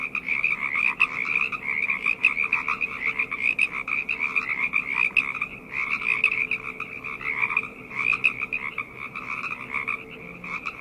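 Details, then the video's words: Frogs chorusing at night, countless overlapping pulsed croaks forming a continuous buzzing trill, with brief dips and surges in loudness every second or two and a steady high and lower band of calling. "Frog Chorus - Night Ambient Sounds"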